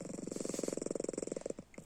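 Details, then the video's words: Pet cat Panda snoring in its sleep with eyes open, a loud, rapid string of low throbbing pulses for about one and a half seconds, then tailing off. "Как храпит кот?"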